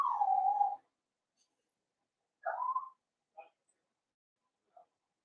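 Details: Blenheim Cavalier King Charles Spaniel puppies, 7 weeks old, in an indoor puppy pen at Red Barn Cavaliers, from a litter of five born at New Year; a long high falling whine, then a shorter rising whine and two brief soft yelps.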